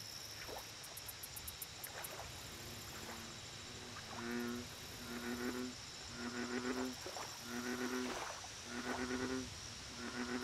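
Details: At a lake, an American bullfrog begins calling after a few quiet seconds, then gives about seven low, throaty, harmonic croaks at a steady beat near one per second. Faint pulsing insects sound high above and a constant hum sits underneath.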